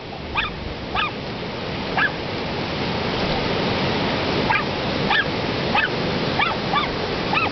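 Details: Dogs of different sizes playing in the surf in Ocean Park, WA, give scattered high barks, fainter than the heavy, constant wash of the waves around them.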